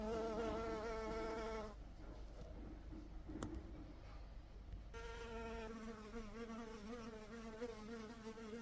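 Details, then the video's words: Honey bee buzzing: a steady droning hum with a low fundamental and stacked harmonics, fading into a quieter hissy gap mid-clip with a brief click, then the hum returns and continues to the end. "honey bee sound | bee sound | bee buzzing sound effect"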